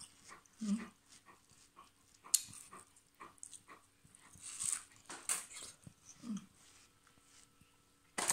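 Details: Bernese Mountain Dog named Mr. Polo eating watermelon indoors; soft whimpers and short low whines scattered among sharp smacking, chewing clicks, with brief human words near the end.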